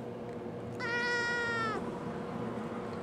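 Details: A clear, strong meow from Halo, a young pet cat, replying when asked what's wrong: steady and loud for about a second, dipping slightly before stopping abruptly, then quiet room sound.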